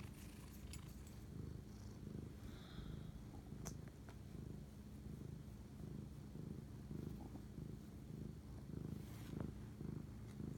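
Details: Domestic cat purring while bonding with its owner at 11:07 pm on March 25, 2019; a steady low rumbling purr with soft rhythmic pulsing throughout, a few faint clicks and rustles above it in a quiet indoor setting.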